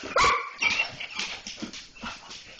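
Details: Pet German Shorthaired Pointers that have spotted a cat: a burst of high, sharp yips and barks, about two or three a second, quickly fading into softer repeated yelps.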